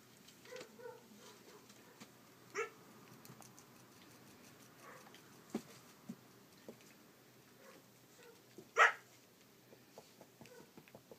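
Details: Collie puppy, 34 days old, filmed on 29 July 2012: short high yips and small barks scattered through the recording, with one loud sharp bark near the end over soft indoor rustling.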